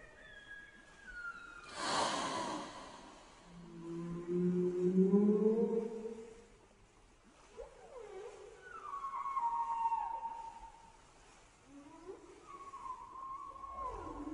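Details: Whale voice with varied moans and whistles: low rising tones, then higher sliding cries that fall in pitch, separated by short pauses, with a brief broadband burst early on.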